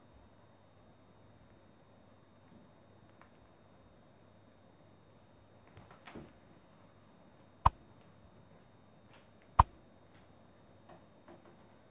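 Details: A quiet room is broken by faint handling noises and two sharp clicks, with no animal sounds.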